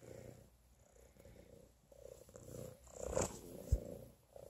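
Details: A pregnant domestic cat purrs while being petted. The purr is a continuous low rumbling with rhythmic pulses and a louder swell near the end, mixed with soft rustles and a brief tap.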